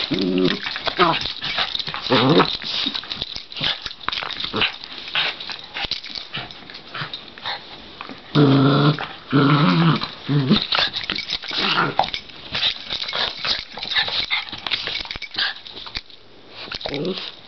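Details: Two Cairn terriers, a brother and sister, wrestle, growling and snarling in rough bursts with yips and grumbles breaking through.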